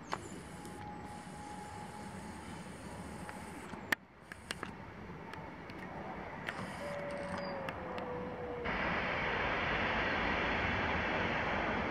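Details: Rumbling vehicle or machinery noise with sharp clicks, a thin sliding mechanical tone, and a louder broadband roar starting near the end.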